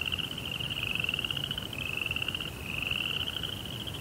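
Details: Night crickets give a dense, fast-pulsed high trill with a short break in the middle. A quiet low rumble sits in the background.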